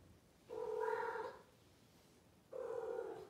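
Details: Blue Maine Coon cat, a female, talking indoors with two steady, nasal meows of almost a second each, separated by a pause of about a second, over faint room hiss.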